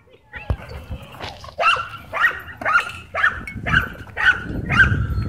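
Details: Dogs, a Husky and a German Shepherd, chasing a German Shorthaired Pointer at a dog park; a run of seven short, bright barks roughly every half second, with thuds and faint voices behind.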